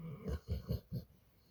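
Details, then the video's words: Brad, a pit bull sleeping in bed in the morning, gives four quick, rough, low snorting puffs in a row, each a fraction of a second apart, before the room falls quiet. "Brad Pitbull wants to stay in bed 🛏 this morning 🌄 and continue snoring"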